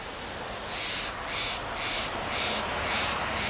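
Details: A fox squirrel (Sciurus niger) on a Monterey pine in Del Monte Forest, California, gives soft, breathy lip calls: short hissing puffs repeated about twice a second.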